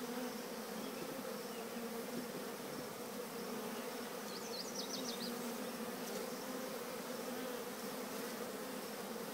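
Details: Bees from a collected swarm walking into The Cathedral Hive produce a continuous, even drone with a doubled tone, with a quick burst of high bird twittering near the middle of the clip.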